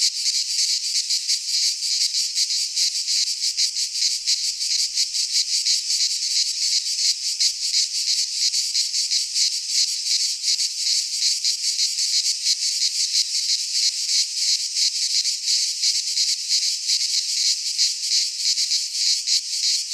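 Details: In a Greek pine forest at midsummer, many cicadas produce a relentless sizzling buzz, rapid pulses merging into one constant wall of sound, no other noises.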